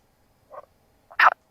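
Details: A male common frog in a pond gives two short, grating croaks, the second louder and harsher. This is spring courtship calling at dusk and night; females favour longer, softer calls, and calls also mark territory and warn off rivals.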